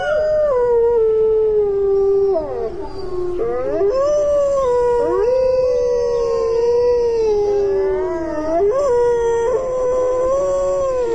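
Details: Gray wolves howl in a snowstorm, long, smooth, mournful tones sliding up and down over a roar of wind.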